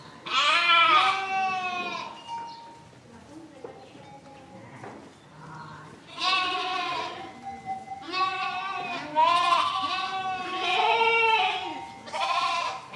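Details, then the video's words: Sheep bleating in a series of loud, wavering, harmonic-rich bleats, spread over the recording with quieter lows and murmurs between them; the later bleats overlap, as if several animals are calling together. "Sheep Baing 1 Hour Sound Effect, Bleating, Yelling"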